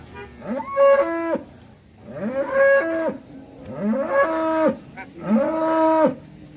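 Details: Big black cow at Sobo market before Eid al-Adha: four loud, even moos about every one and a half seconds, each rising, holding steady, then dropping off, with quiet pauses between.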